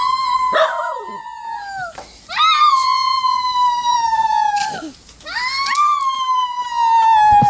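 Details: Dog howling meant to set off other dogs: three long drawn-out howls, each rising sharply then easing gradually lower, separated by short gaps, with a brief yip near the start.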